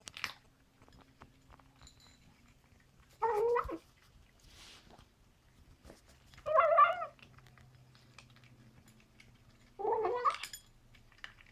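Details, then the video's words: Bengal cat Simba, a 14-week-old kitten, vocalizing while eating indoors: three short, wavering, harmonic murmurs, each about half a second long and spaced roughly three seconds apart, with a faint low room hum between them. "Funny eating noise"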